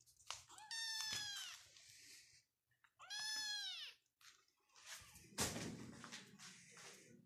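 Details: Persian cat at a Pakistani cattery, giving two long, drawn-out meows with rich harmonics, each rising then falling over about a second and a half, followed by clattering indoor noise.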